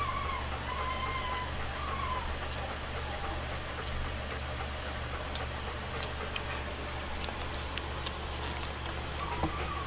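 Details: Nursing two-and-a-half-week-old Alaskan Malamute pups of Macy and Jack, summer 2014 litter, give short high whining squeals at the start and again near the end, over a constant low hum and faint rustling clicks.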